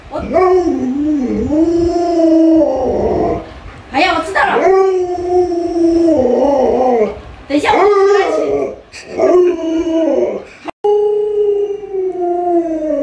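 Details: Luoluo, a pet Alaskan Malamute doted on by grandma, gives long steady howls with stacked harmonics, some bending up and down like talking, broken by short pauses, with a person's voice mixed in.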